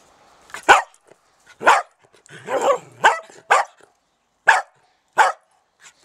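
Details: A dachshund at an allotment garden barks in sharp, irregular bursts, with one longer, rougher growling bark in between.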